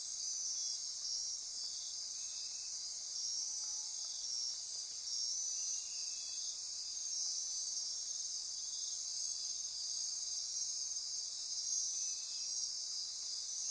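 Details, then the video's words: Insects chorusing at midnight in Osa Peninsula rainforest by Corcovado National Park, Costa Rica; a sustained high trilling and buzzing blanket, punctuated by occasional short lower chirps at intervals. "Costa Rica Rainforest - Midnight Insect Chorus"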